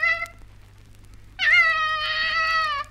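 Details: A female koala calling in Australia: a brief whining note, then a drawn-out, nasal, wailing cry of about a second and a half, held at a steady mid pitch.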